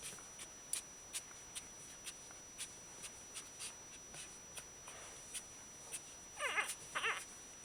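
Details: Shiba Inu puppies one week old from a kennel's F-litter, described as very happy; light ticks and rustles run through the quiet room, then near the end two short bursts of high, wavering, squeaky whimpers.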